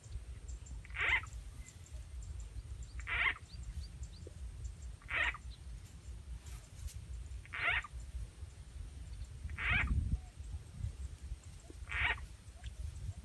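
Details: Frogs being lured and caught with a frog sound effect in rural Rizal N.E.; six short buzzy calls repeat about every two seconds against a low background rumble.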